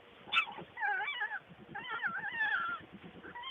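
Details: Skunk giving squeaky, wavering whines and chirps in short bursts, rising and falling, laid over a fast, steady low snuffling pulse throughout.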